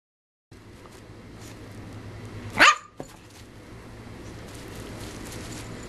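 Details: Yogi, an excited Shih Tzu puppy bouncing off the walls of her playpen, gives one sharp high yip midway through. A low steady hum sits under the rest of the clip.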